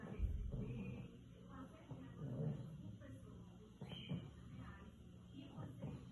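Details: A 7-year-old pug from Rio de Janeiro snorts and snores while awake, with low rumbling breaths repeating irregularly; as a flat-faced, brachycephalic breed, it snores a lot.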